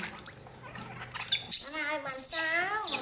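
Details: Rescued infant monkey Poy, angry at being bathed, gives strained, harmonically rich wails with piercing high squeals above. After a quieter start with low murmuring, the crying grows loud and continuous.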